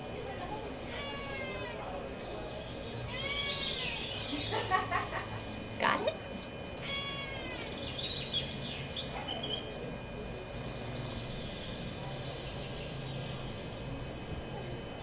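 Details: Domestic Shorthair cat up for adoption, recorded 9 February 2011: several arched, drawn-out meows in the first seven seconds, then quieter sounds, over a steady electrical hum with some human voices in the background.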